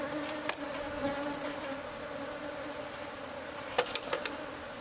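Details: Bees of a hive inside a home's walls, found by a new homeowner and being taken out by pest control. An even, sustained hum fills the recording, with scattered clicks and a cluster of taps near the end.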